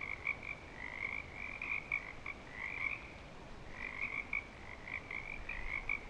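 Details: Frogs at Clearwater Commons, in breeding season, trill in a chorus of high pulsed calls, some longer and sliding, others short, with a brief lull near the middle.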